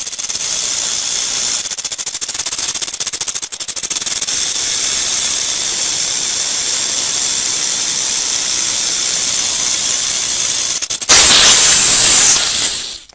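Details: Sustained rattlesnake rattle, a steady hissing buzz with rapid fluttering pulses early on, swelling abruptly louder and harsher near the end before cutting off.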